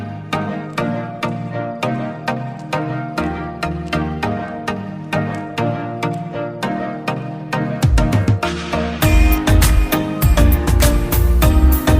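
Only instrumental music is heard: steady plucked beats that swell into a fuller, louder passage near the end, with no animal voice.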